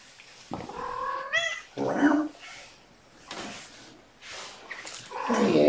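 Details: Domestic cat meowing in the afternoon of 29 May 2018, during play time for a mother cat and her five kittens born April 14. A drawn-out rising harmonic meow comes early, then a shorter call, with a man talking to the kittens throughout.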